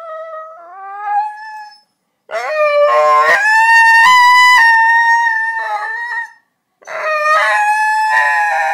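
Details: Chase, a Border Collie, answers a call in a call-and-response throat-singing howl: long, rich, harmonic sustained tones, wavering and sliding in pitch, broken by short pauses, after a brief person's voice opening.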